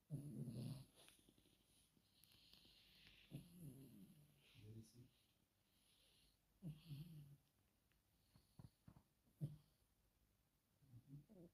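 A sleeping Chihuahua snores in low, rumbling breaths that come every few seconds.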